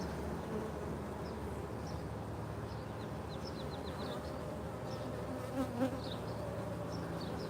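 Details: Honey bees at a hive, bringing in nectar from locust trees and pollen on their legs, fill the air with a continuous, droning low buzz of many wings; faint thin bird chirps and a couple of brief soft thumps near the end.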